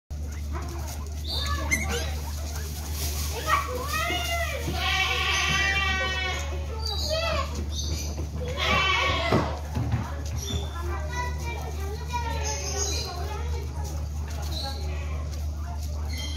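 Guinea pigs give high, wavering squeals in quick bursts over a steady low hum.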